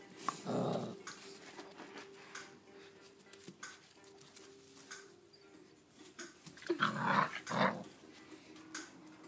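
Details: A female Rhodesian Ridgeback playing by herself in a new box and hay gives short, low, rough growling bursts near the start and again around seven seconds. Rustling and quiet household sounds fill the gaps.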